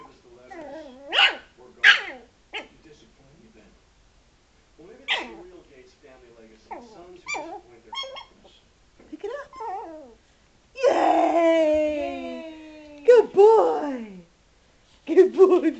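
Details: Frankie, a Yorkshire Terrier indoors, mad at a ball that was rolled toward him and hit him: sharp high barks and growly yaps in bursts, then a long whining, howl-like stretch near the end, with a person speaking in between.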